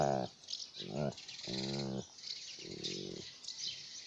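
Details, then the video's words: Alaskan malamute playing with a toy, giving four harmonic, whining woo-like vocal bursts in about four seconds, the longest near the middle with a wavering pitch, with a soft high hiss and faint chirps in the background. "Relax Sound- Alaskan malamute playing with toy"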